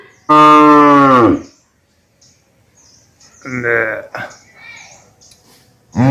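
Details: A loud, deep cow moo of about a second with a falling end, followed by quieter shorter lowing sounds and a final moo beginning at the close.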